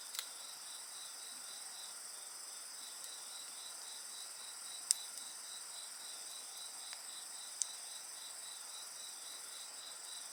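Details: Night insects sing beside a bonfire: a steady chorus of high, thin trills with a finely pulsed band beneath continuous shrill tones. A few sharp crackles and pops from the fire break through.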